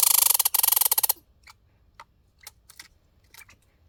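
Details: Backyard squirrel outdoors giving a hiccup-like call: a rapid burst of loud, clicky, harsh pulses for about a second, then scattered faint ticks and short clicks in near silence.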